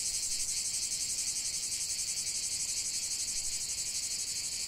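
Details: Cicadas singing in a continuous nature chorus: a dense, shrill, high buzzing that pulses rapidly and steadily, with no gaps and no other clear sounds.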